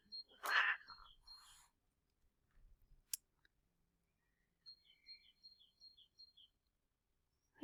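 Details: A domestic cat gives sharp, breathy defensive hisses in an apple tree to drive off another cat that keeps approaching. Birds chirp afterward.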